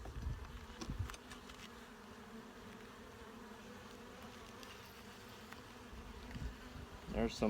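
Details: Honey bee colony opened for a full hive inspection, checking for eggs, larvae and capped brood; a steady low droning hum holds throughout, with brief knocks of handling near the start and end.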